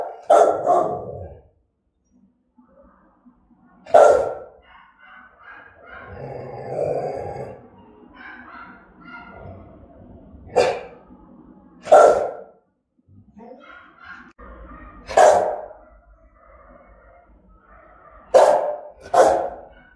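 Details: Rottweiler barking in a threatening, aggressive manner, single deep barks spaced a few seconds apart, some in close pairs, with low growling and muffled grumbles in the gaps.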